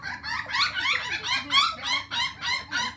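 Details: Ao, a male puppy born July 1 and listed by a breeder, gives a quick run of about eight bright, strained yelping whines in three seconds, each a short harmonic burst, over a low steady room hum.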